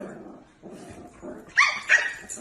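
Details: Dog giving low muffled grumbling sounds, followed by two loud sharp barks close together, then a softer yelp at the end.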